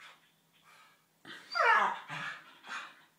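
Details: Two Staffordshire Bull Terrier puppies at play: a short run of high, strained whining yelps that bends downward, then two softer whimpers, with faint rustling and breathing before it.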